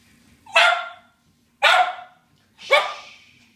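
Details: Doberman and cocker spaniel barking at a helicopter treated as an intruder: three loud, sharp barks roughly one second apart, each a short harmonic burst fading quickly, in otherwise quiet surroundings.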